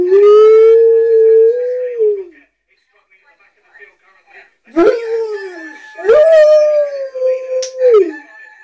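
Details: Pet Rottweiler singing along to a cock-a-doodle-doo alarm clock: a long, smooth, steady howl that drops off at the end, then after a pause two shorter rising howls, with faint steady electronic tones behind.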